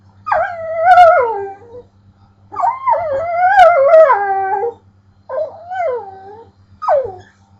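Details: Pit bull vocalizing oddly at a pet bird, giving three drawn-out, wavering whine-howls with bending pitch, the middle one longest, followed by a short sharp yelp.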